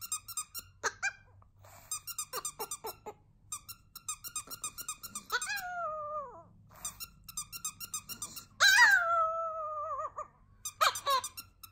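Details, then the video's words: A tiny Chihuahua giving its first ever howling song indoors: drawn-out, wavering howls that slide downward, one long and loud, broken up by repeated short high squeaky yips. "Chihuahua Cedric's FIRST EVER howling song"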